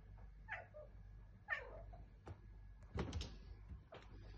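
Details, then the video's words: Domestic tomcat described as talking, indoors; two short falling meows about a second apart, followed by softer chirps and a thump-like noise. "Mein sprechender Kater"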